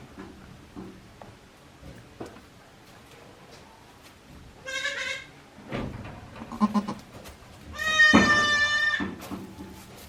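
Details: Newborn goat kids, one day old, at the handmade Yoshigake goat farm on 17 April 2024, give two clear, strongly harmonic bleats, a short one midway and a longer wavering one later, among light rustling and thumps.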